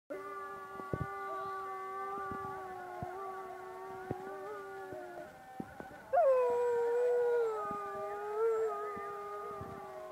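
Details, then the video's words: Dog howling during the call to prayer: a long, steady, tonal wail that holds its pitch, then a louder howl about six seconds in that starts with a sharp rise and slowly sinks and wavers. "Ezan Okunurken Köpeğin Uluması"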